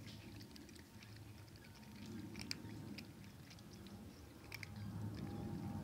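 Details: Kittens crunching dry kibble indoors at night, irregular soft crisp cracks scattered over a low steady background hum, with a couple of sharper crunches standing out.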